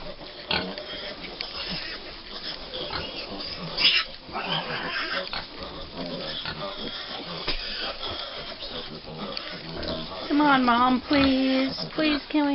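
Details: Five-week-old American Guinea Hog piglets on a family farm, waiting for breakfast: a busy stream of soft grunts and snuffles, then loud wavering squeals near the end, with a person speaking to them.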